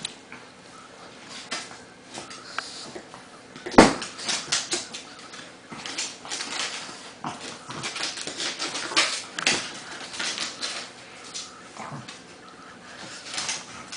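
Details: Two dogs, a pug and a Bernese Mountain Dog, play-wrestling inside a small room; scattered snorts and growly huffs with a sharp thump near four seconds and rustling movement throughout.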